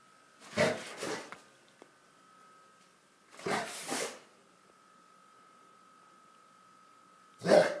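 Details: Rottweiler in a friendly stand-off, giving three short, rough, grumbling growl-like bursts a few seconds apart, the last one loudest, over a faint steady hum.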